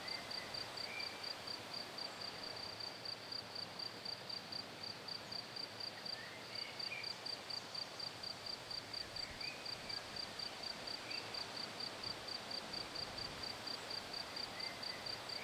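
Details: Vineyard crickets singing amid many other creatures on an organic wine estate kept free of herbicides; a thin, high, regularly pulsed trill about twice per second sits above a constant hiss of insect chorus.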